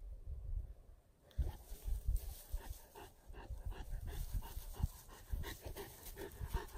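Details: A Basset Hound pants and snuffles in quick, breathy bursts on an evening walk, with a low rumble of outdoor noise.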